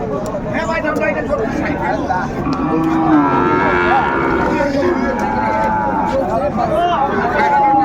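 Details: Sahiwal cattle, a bull and calves for sale at a Munshiganj market in Bangladesh, 28 February 2025, lowing in short drawn tones amid loud, continuous crowd talk and bargaining.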